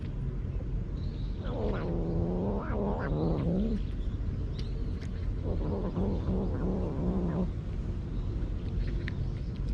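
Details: Stray cat guarding its food so it is not taken, giving two long low grumbling growls, each about two seconds, wavering and rumbling, separated by a short pause, over steady background hum.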